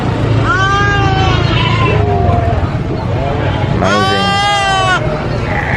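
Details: Baby goat screaming: a few short wavering bleats, then one long, loud, harsh scream near the end, all over a steady low rumble of background noise.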